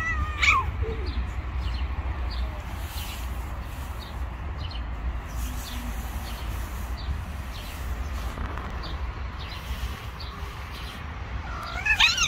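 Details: Female cat harassing a bully male cat: a short, wavering harmonic yowl at the start and a rising, strained yowl at the very end, separated by steady low rumbling background noise.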